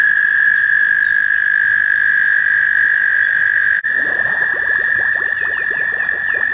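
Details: American toads in mating season at a shallow pond near Warbler Bridge, Wehr Nature Center, on a warm May day: a continuous high trill, with a brief dropout, then a closer low rapid pulsing rattle over the chorus.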